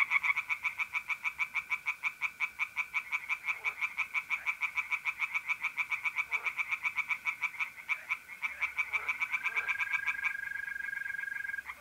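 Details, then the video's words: Long, unbroken series of quick pulsed calls from tree frogs in a pond on an April night in North-East Italy, accompanied by trilling mole crickets whose smooth, steady tone grows clearer toward the end. "singing tree frogs in pond"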